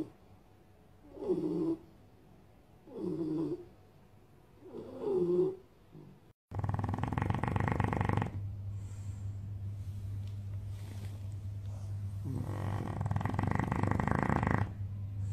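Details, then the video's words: Bulldog asleep at My Second Home in Dubai, October 2015, during a snoring competition: three short snorting snores about every two seconds, followed by a loud, broad, rumbling stretch of noise. "Bull Dogs Snoring competition"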